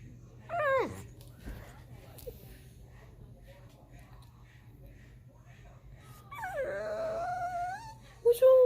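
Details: Pet dog crying because it wants to be up on the couch: a quick falling whine early on, then a long wavering whimper later, with a person talking softly in between.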